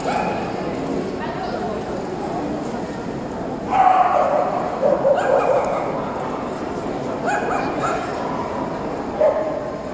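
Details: Barking at the 2018 Euro Dog Show among Tibetan Terriers: a loud bark near four seconds, another around five, then two more at seven and nine seconds, all set against constant crowd noise and voices in a large hall.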